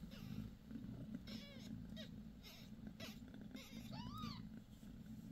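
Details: Bassy, a domestic cat that gave birth to five kittens six days earlier. Soft purring hums underneath brief, thin squeaking mews. One longer rising-then-falling mew stands out near the end, and a voice speaks her name.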